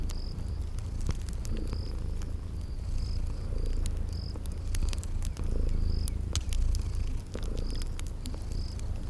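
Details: Purring of sleeping kitties near a crackling fireplace, spring garden ambience. Low, droning purr swells slightly in loudness, while fire pops crack irregularly and thin, high insect chirps recur about once a second.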